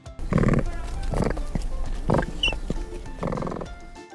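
Capybara giving four short, buzzy, low grunting barks spaced about a second apart, over soft background music.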